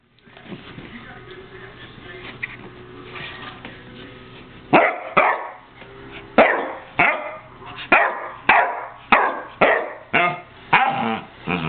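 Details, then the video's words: Buddy, a pet dog, barking in a steady run of sharp, harsh barks roughly every half second through the second half, after a quieter stretch of low murmuring background at the start. "Buddy barks/howls"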